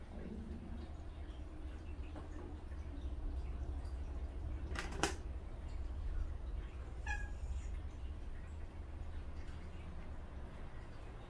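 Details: Haejjari, a gentle-natured mother cat angry at the kittens bothering her, indoors; a low, drawn-out meow opens, followed by a fainter sustained moan, with a sharp click near the middle and soft room noise throughout.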